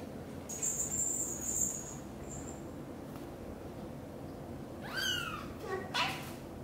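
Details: British Shorthair kitten leaving the nest for the first time while its anxious mother follows every step; high, falling meow calls near the end, with a faint high whine earlier and a quiet room background.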